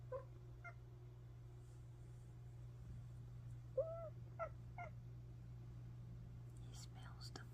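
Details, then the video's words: Cat making weird sounds as if excited: a few short, tonal chirping calls, one gently falling, spaced over several seconds above a steady low hum, with soft whispering and small rustles nearby. "makes weird sounds like she's excited"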